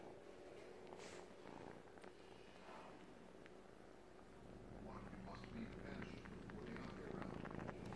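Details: Three-month-old male Siamese kitten suckling on a blanket as if it were his mother, giving a steady low rumbling purr with soft repeated sucking clicks, indoors with faint background voices.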